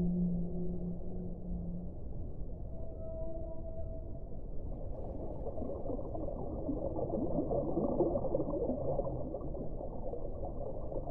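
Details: Whale sings a low held moan, then higher brief tonal notes, before the voice fades into a constant muffled low-pitched wash of sea noise for the rest of the stretch.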